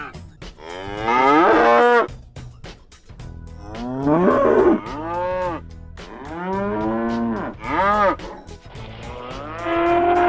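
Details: Cow mooing in several drawn-out, harmonic-rich calls, some rising then falling, spaced a couple of seconds apart, over a steady rhythmic music beat.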